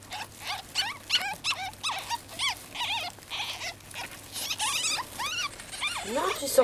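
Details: Young ferrets (kits) out of their cage give rapid, high arched squeaks in quick overlapping bursts, with a woman talking softly in French.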